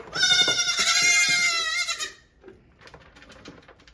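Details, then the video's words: A hungry baby goat bleats while its mother stands on the milking stand after morning milking, waiting to nurse. One loud, drawn-out, quavering bleat lasts about two seconds, then fades to soft shuffling and knocking. "Baby goats are LOUD especially when mama is on the milking stand!"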